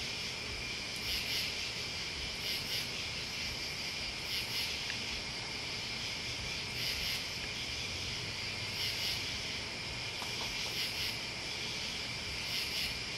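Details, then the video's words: Crickets and other bugs in a dense night-style chorus: a steady shrill trilling band beneath very high pulsed bursts that return roughly every two seconds, with faint low rumble underneath. "Listening to Crickets and Bugs"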